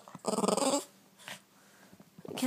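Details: Morning game of catch with a Boston Terrier indoors: a loud, rasping growl with a layered tone lasts about half a second. Softer grunts follow after a quiet pause, then a woman's voice.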